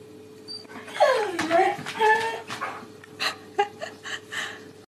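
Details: Siberian Husky making talking-like sounds indoors: a rising and falling whining howl, then short yelping syllables, with a person speaking about a waffle.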